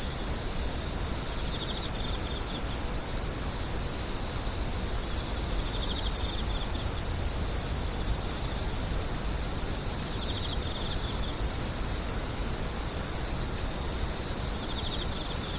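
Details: Screeching insects in a steady nighttime-style chorus: one unbroken high shrill drone holds throughout, while short pulsed trills of a second caller break in about every four seconds, over a soft low rumble.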